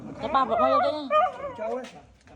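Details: Female dog screaming in pain, calling for help: wavering, high, strained cries in two long bursts with a short break, fading into lower whimpers, while people talk nearby.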